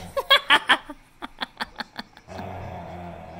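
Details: Loud, breathy bursts of human laughter fade into a series of soft chuckles. A steady engine-like hum follows, and no animal voice stands out.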